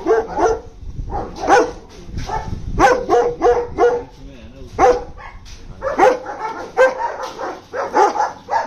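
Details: German Shepherds give loud, punchy barks in uneven bursts. Single sharp barks and quick doubles are separated by short gaps, and several dogs join in at once.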